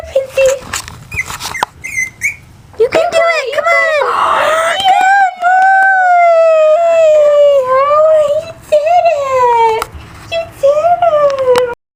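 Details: Prince, a tiny 9-week-old Maltipoo puppy, a Maltese and poodle cross and the runt of his litter, gives long high wavering whines that rise and fall over several seconds, mixed with a person's coaxing voice indoors.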